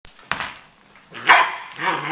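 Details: Ollie, a 9-week-old Border Collie puppy, playing with a puzzle ball to get dog food out; two short, high, rough barks around the middle and end, after a sharp knock from the ball early on.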